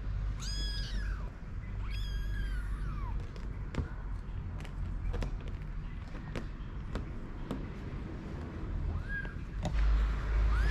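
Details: Four-week-old kittens playing and eating outdoors beside their mother: two high, arched meows with rich harmonics open the passage, then scattered clicks and taps, and a fainter meow near the end over steady low rumble.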